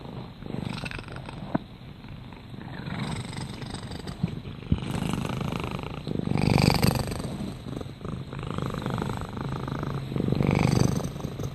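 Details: Domestic cat purring, a steady low rumbling pulse swelling and fading with each breath, louder phases roughly every four seconds, with a faint high background hiss.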